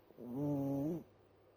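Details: Single short snore from a dozing house cat, a smooth, buzzy tone held for under a second before it drops away into near silence.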